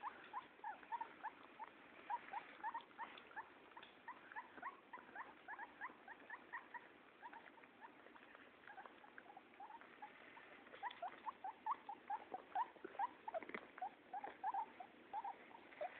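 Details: Lila the guinea pig being bathed by Katie, a Pug-nosed Pekingese dog, indoors. She gives short, high squeaks in quick repeated bursts, chattering almost without pause throughout, over a soft hiss.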